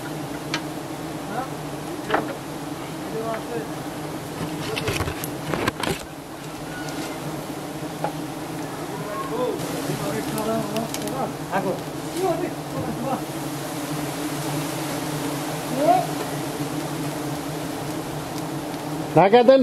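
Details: Continuous low hum from a giant honey bee colony as honey hunters in Thailand take honey from the nest. Scattered clicks and knocks and faint voices sound over the steady drone.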